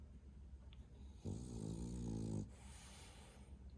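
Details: Loud snore from Bro, a male French Bulldog aged 11 months: one buzzy, vibrating rumble lasting about a second, with a rich ladder of low harmonics, then quiet breathing.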